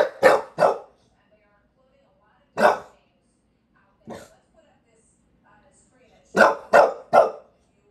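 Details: Bulldog Walter White Jr. barking during a lengthy rant in New York City: a pair of quick barks, two separate single barks, one softer, then a closing run of three fast barks.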